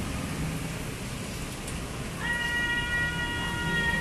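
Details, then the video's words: A kitten hiding under a car at a relative's house, said to be very afraid of people and quick to run away, gives one long, steady, tonal meow in the second half, over a low background rumble. "Si Meong Dikolong Mobil Takut Orang - Funny Cats and Kittens Meowing"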